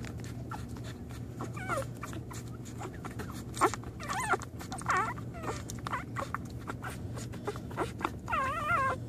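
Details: American Pit Bull Terrier on day one, giving high, wavering whimpers and whines that rise and fall, scattered through the clip and ending in a longer quavering whine, over a steady low indoor hum.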